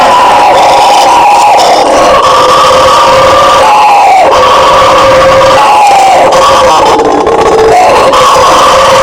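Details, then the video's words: Roaring chorus of bugio howler monkeys, loud and unbroken, with gravelly sustained tones that slide up and down and overlap, swelling slightly every few seconds. "SOM DO MACACO BUGIO, Barulho de Bugio!"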